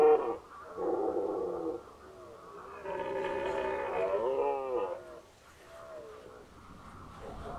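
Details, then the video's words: Red deer stag in the 2019 rut at Unteres Odertal National Park bellowing: a short groan, then a long, rasping roar that rises and breaks into wavering tones, followed by a softer trailing moan. "Hirschbrunft 2019 (red deer rut 2019)"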